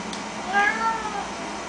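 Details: Pet cat at Chinese New Year, excited over a treat of bak kwa, gives a single short arched meow, clear and tonal, rising then falling over about half a second in a quiet indoor room.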